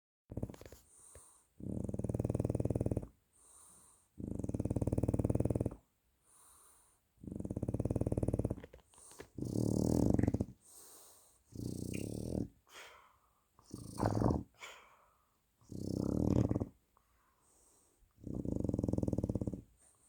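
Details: French Bulldog snoring loudly, with rough rasping breaths lasting one to two seconds each, repeated roughly every two to three seconds, some breaths breaking into snorting rattles.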